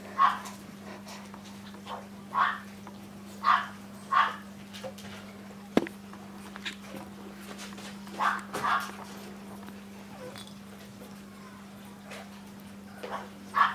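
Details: Maltese dog Destino from the Herzen rein kennel letting out short, clipped yaps in loose pairs, spaced a second or two apart with quiet gaps between. One sharp click sounds midway, and a constant low hum fills the background.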